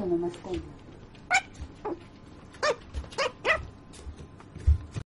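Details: Sleeping puppy letting out a quick run of short squeaky yips and whimpers, several within a few seconds, with a low voice briefly at the start and soft thumps.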